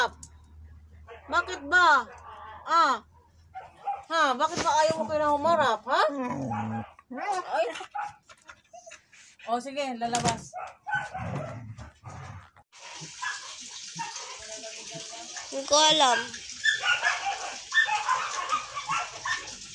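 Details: Husky arguing with repeated warbling, speech-like yowls and whines in uneven bursts, then continuing over a steady hiss of broadband noise in the second half.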